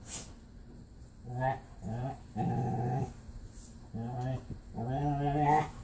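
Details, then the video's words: A pit bull plays with his foster sister, who sounds like a Wookie: several moaning, harmonic growl-groans, each half a second to a second long, in four bursts separated by short pauses. "ADOPTED: Marley plays with his foster sister (she sounds like a Wookie!)"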